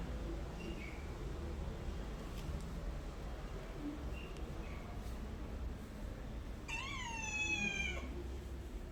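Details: House cat letting out one long, wavering meow near the end, rich in harmonics and slightly falling, after faint chirps, with steady low background noise.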